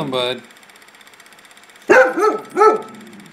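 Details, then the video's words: A pet dog named Sledge Hammer, startled by nothing in a backyard, lets out three quick yelping barks in a row after a short burst of human speech and a quiet pause. "Sledge Hammer spooked"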